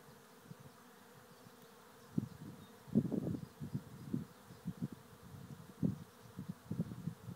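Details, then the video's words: Honey bee swarm, thousands of bees, moving into a trap hive at Lisballyard near Rathcabbin, Tipperary, Ireland; low droning hum with irregular louder buzzing bursts rising and falling over a steady background. "Bee Swarm into trap hive"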